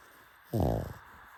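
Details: Sleeping pug dog gives a single short snore, a half-second low rumbling snort with a buzzy, vibrating tone, then quiet room noise.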